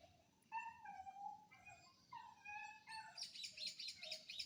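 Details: Indonesian village dog (anjing kampung), recorded Friday 18 November 2022, giving high, drawn-out tonal whines that bend and waver, several in a row, with a hissing high-pitched background noise in the final second.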